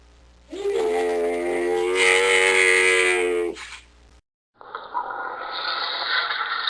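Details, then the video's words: Camel giving a long, steady, tonal groan that rises at its start and holds level for about three seconds before breaking off. After a brief silence, a rougher, hoarse rasping follows. "Sonido del Camello /Ronquido del Camello// Camel Sound /Camel Snoring"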